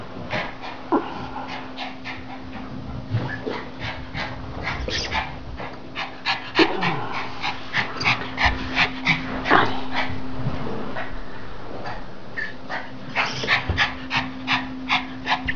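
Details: Norwich terrier, a male nearly three years old, playing with a toy; rapid, irregular bursts of short yips and huffing breaths, roughly three per second, over a steady low hum, with occasional human voice.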